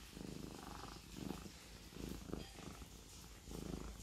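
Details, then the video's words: Siamese cat purring: a low, steady rumbling drone in rhythmic pulses, swelling roughly every second as it breathes in and out, quiet and close. "The Siamese cat purring"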